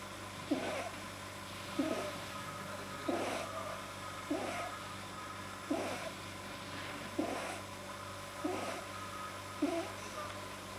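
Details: Deeply relaxed house rabbit Pamuk, 9 January 2010, producing a vet-explained soft-palate noise: rhythmic raspy snorts, eight in a row at about 1.3-second intervals, with a continuous electrical hum behind.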